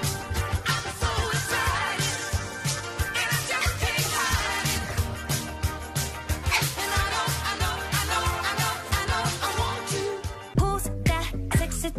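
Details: Upbeat funk-style pop music with a steady driving beat, bass and vocals throughout, and an abrupt change near the end; no animal voices stand out.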